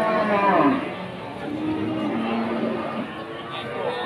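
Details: Limousin cattle at the Pasar Wage livestock market in Pati, Indonesia: a brief, low, harmonic moo opens the first second, then fades under steady crowd chatter and busy market noise.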